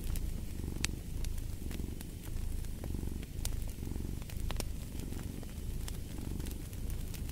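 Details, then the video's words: Close, strong purring of a domestic cat: a thick low rumble rising and falling in breath-length cycles about once a second, with occasional crisp fireplace crackles above. "Fall asleep to the Purring of a Cat & Fireplace"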